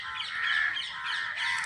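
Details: Bats roosting among dense, shady trees give a loud, unbroken mass of harsh, scratchy calls, swelling and fading, with a sharper burst of squeals near the end.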